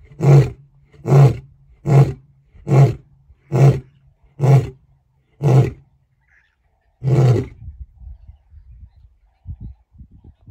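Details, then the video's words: Lion roaring to keep rivals away: a closing series of short, deep grunting roars repeated about once a second, one final longer roar, then fading low rumbles. "roars to keep the rivals away"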